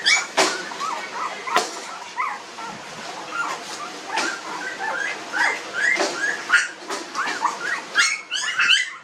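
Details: Puppies aged 19 days whine almost without pause. Thin, wavering cries overlap one another, and a few sharp knocks or clicks break in.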